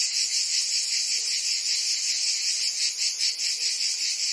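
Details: Cicadas singing on a summer day in Provence, France: a dense, continuous high buzzing chorus with a fast pulsing rhythm of about two to three beats per second, steady throughout with no other sounds.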